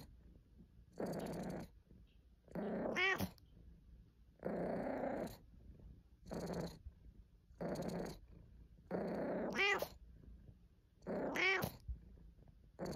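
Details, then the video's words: Pet cat Caesar von Schwanheim purring and complaining: broad, rumbling purr phrases roughly every two seconds, several of them ending in a brief, high harmonic meow, with quiet gaps between. "Caesar meowing Compilation 01 | Cat Sounds | purring and complaining"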